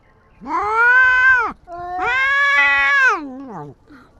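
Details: Stray tabby and white cat in a standoff: two sustained, nasal yowls, the second longer and ending in a wobbling downward slide, then a faint trailing mew.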